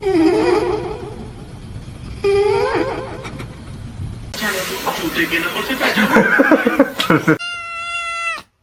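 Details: Domestic cat indoors, giving drawn-out wavering meows. Human speech and laughter overlap the first two, a noisy, clattering stretch follows, and a clear, tonal, rising-then-falling meow ends the passage.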